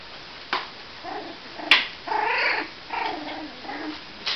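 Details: Cavalier King Charles Spaniel puppies, 26 days old, letting out short squeaky whimpers and whines, several spaced across four seconds, with small clicks and knocks between them indoors.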